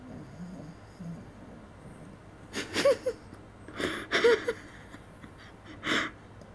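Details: Maggie, a small Maltese dog asleep in a bed shared with a Bichon, snores in loud uneven wheezy snorts, a few bursts several seconds apart with quiet breathing between, indoors in a small room.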